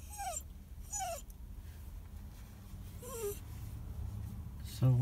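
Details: Sad crying dog giving brief high whimpers that fall in pitch, two close together at the start and a softer one a little later, over constant low rumbling background noise.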